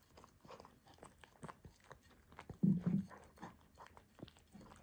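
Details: Loulou, a Miniature Dachshund, dreaming indoors, lets out one short, low muffled woof partway through, amid scattered soft clicking and rustling in a small room.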